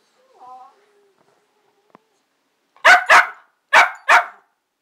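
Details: Pet dog barking as if talking to its owner: a soft, brief whine at first, then after a pause four sharp, loud barks in two quick pairs.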